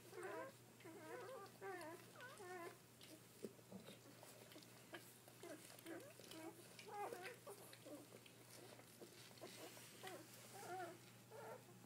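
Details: Freshly born Dobermann litter, seven pups so far while the mother keeps giving birth. Overlapping thin, wavering squeaks and whimpers come in clusters, with soft rustling and a constant low hum in the background.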